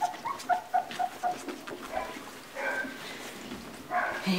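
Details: Two-week-old Labrador Retriever puppies, a litter including Bobo, Donner, Blitzen and Cupid, indoors on 11 January 2016, whimpering in a quick run of five short, even peeps, then rustling and a brief low whine at the end.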